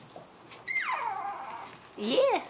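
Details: Chihuahua puppies, with a tiny black and white spotted male among them; two drawn-out whines, the first sliding down from high to low over about a second, the second short and rising then falling, with a woman speaking nearby.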